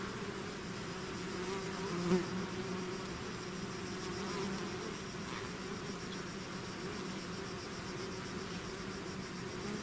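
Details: Bees swarming outside their hive make a continuous buzzing drone, low tones wavering slightly while one brief louder pass rises near the middle over a bed of hiss.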